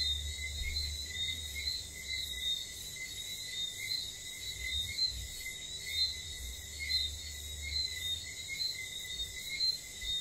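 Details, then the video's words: Whistling frogs calling at night on St. Lucia: short high whistled notes repeating about once a second from several frogs, layered over a steady shrill insect drone and a low rumble. "wistling frogs"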